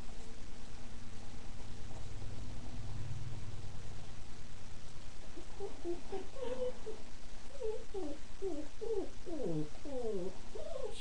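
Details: Five female Miniature Pinscher puppies, 3.5 weeks old, born December 19, 2009, playing indoors as they begin finding their voices; a quick run of short, high squeals and yips fills the second half over a steady low room hum.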